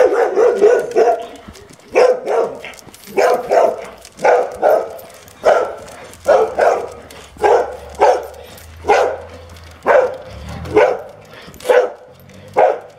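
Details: Anxious Weimaraner barking during a training visit in Rovereto, near Trento, Italy. The household has two dogs: Frida, a female of nearly ten, and her seven-year-old son Sauro. Loud, sharp barks come in a steady series, roughly one every second, with a low hum behind them.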